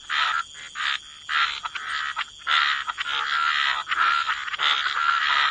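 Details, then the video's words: Frogs at the waterside croak in wetland chorus: loud raspy bursts lasting up to about half a second, stopping and restarting irregularly, with a softer chorus continuing between bursts. "Relax to the Sound of Croaking Frogs"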